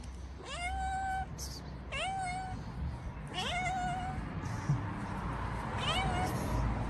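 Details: Cat at a doorstep asking to come inside while offered cheese, giving four loud meows, each a quick upward sweep into a held, slightly falling tone, spaced about one and a half seconds apart.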